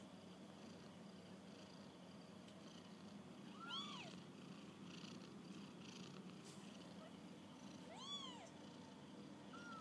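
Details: Young kittens on their first walk about, giving two soft, high meows, each rising then falling in an arched tone several seconds apart, over a quiet, steady background hiss.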